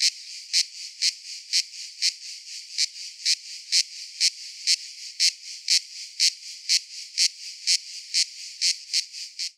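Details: Regular bursts of shrill cicada rasping, roughly two each second, evenly spaced, fading at the very end, with soft hiss between bursts.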